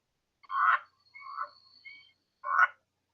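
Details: Leopard treefrog, Boana pardalis, giving its aggressive territorial call during territorial interaction: three short harsh, buzzy croaking bursts with faint higher whistled notes between them, in a clean recording.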